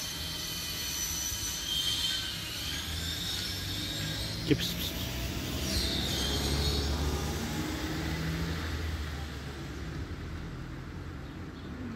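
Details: Steady rumbling urban noise like a passing train or traffic, with a faint voice and one sharp knock near the middle, and no animal call.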